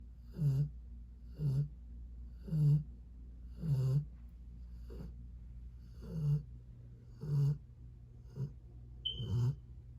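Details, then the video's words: One-year-old Rottweiler named Dallas napping against a bedroom door indoors, snoring: rough, low breathy snores repeating roughly once a second, with a brief higher squeak near the end. "When you want to leave your bedroom but your snoring Rottweiler says otherwise"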